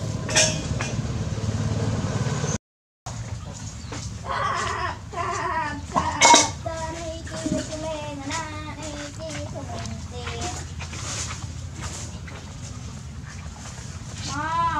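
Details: A litter of hungry puppies suckling from their mother: thin, wavering squeals and short yelps scattered through, some held as level whines, over low steady rumble, with a sudden clatter and a short silence near the start.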